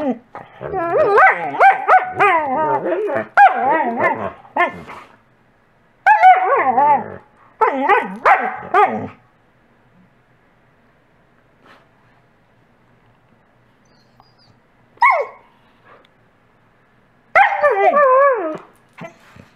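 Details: A coastal wolf wolfdog barks repeatedly in rapid, wavering bursts, wanting a toy from a Wolamute wolfdog, which answers with happy whines, loud bursts separated by short pauses.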